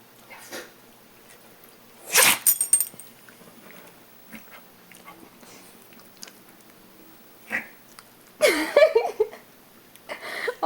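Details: A Bichon Poo dog sneezes and snorts in short, sharp bursts, a loud one near two seconds and another cluster near eight and a half seconds, with quieter sniffs between.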